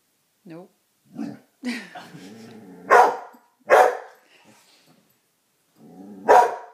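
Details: Female coonhound indoors, barking at her own reflection in a mirror: three loud, sharp, harsh barks in the second half, spaced unevenly about a second or more apart, after a few softer whines and grumbles; a woman speaks nearby.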